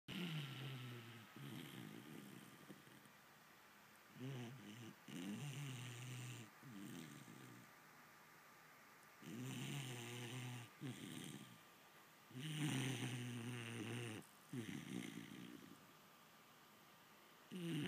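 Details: Vizsla puppy named Pacsirta asleep in the morning, snoring in low, rasping, harmonic breaths that come in bursts of one to two seconds separated by quiet pauses, with a faint steady tone humming underneath indoors.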